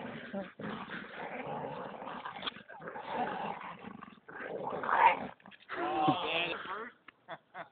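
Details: A Bull Terrier growls in rough, rumbling bursts while playing tug of war with another dog, a Staffordshire terrier.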